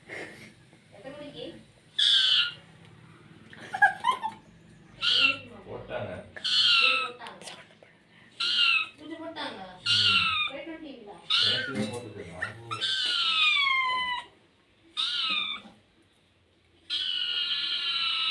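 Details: Pet cat meowing repeatedly in short, high, bending cries, some wavering, mixed with frequent nearby human speech indoors. One longer held meow comes near the end.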